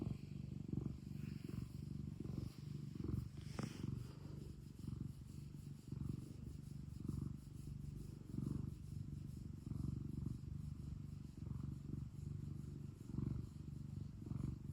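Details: ['Cute house cat purring, a low throaty rumble that swells on roughly fifty breaths a minute, about one every second or so, with one brief rustle near the start.']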